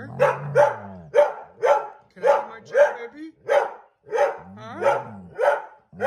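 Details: Feisty Airedale Terrier refusing to give up a chair it has taken over. Short, harsh, bark-like vocal bursts come in a steady string, roughly two per second, about a dozen in all, with a low voiced undertone between some of them.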